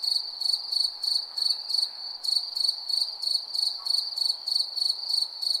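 A cricket chirps steadily at night in high, ringing pulses several times a second.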